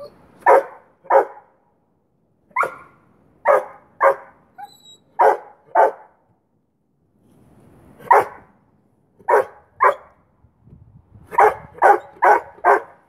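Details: Nine-month-old boweiler puppy Duke barks at rottweiler Bear while they play and Bear holds the stick under his paw; sharp barks in pairs and bursts, ending in a rapid run of five, with a faint low rumble between.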